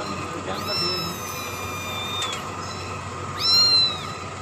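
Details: Kitten drinking milk lets out two high, thin mews, each rising then gently falling, the first long and drawn out, the second shorter and louder, with a constant background hiss.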